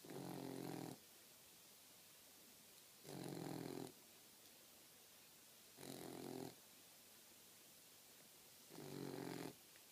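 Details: Sleeping Boxer pup, a four-month-old female, giving four steady, rasping snores spaced roughly every two to three seconds over a quiet indoor background.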